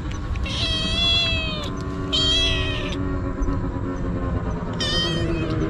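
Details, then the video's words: Stray kitten eating treats and crying nonstop: three loud, drawn-out, harmonic meows, each about a second long, with a steady low background rumble and faint clicking. "かわいい子猫 とにかく必死で鳴き叫び続ける"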